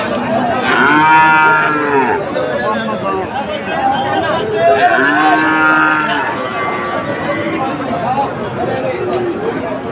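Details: Calves of Friesian and crossbred heifer stock, traded among Dhaka farmers on 12 August 2024, give two long, arching moos about four seconds apart over a constant murmur of people talking.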